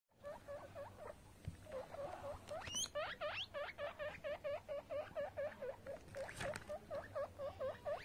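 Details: Baby guinea pig cleaning himself, giving short upswept squeaks in a quick repeated series of about two per second, with faint rustling in between.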